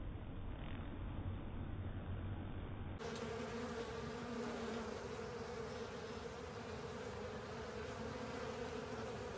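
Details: Honey bees and pals cleaning a honey filter, a muffled low hum for three seconds before a fuller swarm buzz takes over, steady mid-pitched droning with a lower rumbling layer beneath.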